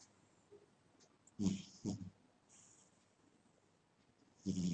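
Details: Sleeping house cat gives a pair of quick, rough snoring breaths close together, then a pause before another raspy snore begins at the end.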